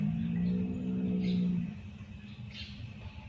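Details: Bangladeshi Tiger bull on a large cattle farm lets out a low, steady, droning moo for about one and a half seconds, held at an even pitch, then fades into a quiet low rumble.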